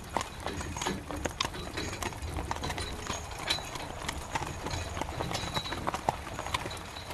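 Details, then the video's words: Carriage horse walking in the rain, its hooves giving a dense run of crisp clopping knocks against a constant wash of rainfall noise. "Horse Carriage Through Rain"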